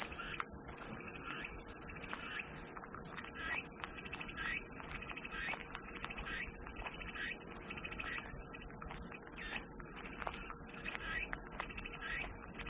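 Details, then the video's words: Cicada chorus as soothing white noise: an unbroken piercing high drone holds level, while fainter rhythmic chirping pulses repeat beneath it, roughly several per second in short bursts. "마음이 평온해지는 매미소리"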